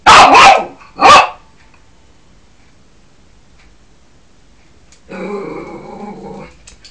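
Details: A Yorkshire Terrier guarding the house gives two sharp, high-pitched barks, then a softer, lower growling whine.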